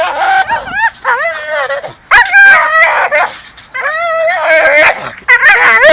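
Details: Two Staffordshire terriers tug at a dustbin lid hanging from a tree. They let out loud, strained, wavering whines that bend up and down in pitch, in long bursts broken by short pauses.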